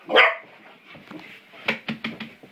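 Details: Young English Springer Spaniel, five months old, at play with a door spring: one strong harsh bark opens, followed by a run of softer clipped yips and clicks in a small indoor room.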